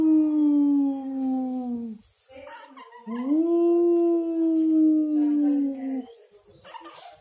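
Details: Pet pug howling in two long, steady, tonal notes of about three seconds each; the first slides slightly downward, the second swoops up and then holds level, with a short pause between them and faint soft noises.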